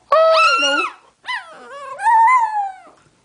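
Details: Pet dog singing the blues with its owner: a bright, quavering howl, a brief break, then a longer wobbling howl that swells and slowly falls away.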